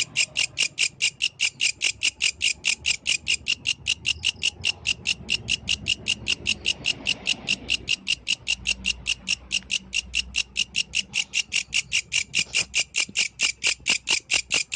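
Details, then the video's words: A yellow grasshopper calls in the night, its song a long unbroken run of sharp, high, buzzy pulses repeating a little over twice a second, even and insistent, over a soft low rumble. "The Melodious Sound of the Yellow Grasshopper, Authentic from the Night Nature"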